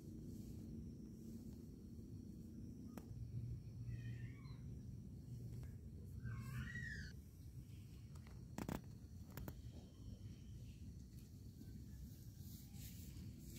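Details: Kitten, described as happy while playing and cleaning its body, gives two short wavering meows a couple of seconds apart, the second longer and bending in pitch. A steady low rumble fills the background, with a few sharp clicks.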